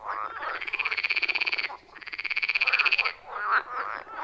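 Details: Frogs at a wild forest pond calling loudly: two long, rapid pulsed trills of about a second and a half each, separated by a brief gap, with fainter croaks from other frogs underneath.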